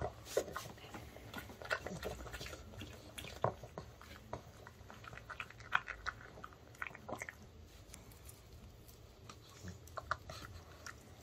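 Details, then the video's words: Ttungi, a male pug born in 2015, eats homemade dog-safe chicken made from chicken breast, broccoli, paprika and rice flour as an early-summer treat. Soft, irregular crunchy chewing clicks and bites, quiet small indoor room. "Pug Puppies Eating Sounds Mukbang"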